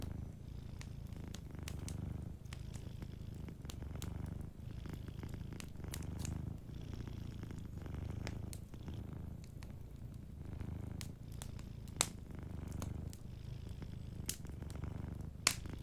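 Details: A cat asleep by a warm fire purrs in a deep, even rumble, rising and falling rhythmically with its breathing; scattered crisp pops and crackles from the burning wood sound throughout.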